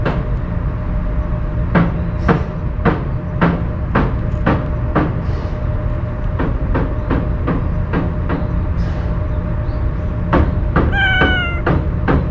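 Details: Stray cat that usually flees from people, fed Kalkan food and eating with relish while staying wary. Steady sharp clicks of eating fill the recording; near the end comes one short, clear meow that falls slightly in pitch, over low rumbling background noise.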